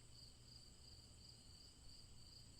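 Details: Crickets chirping as a steady relaxing background: rapid high-pitched pulsed trills repeating in quick bursts several times a second over a faint low hum.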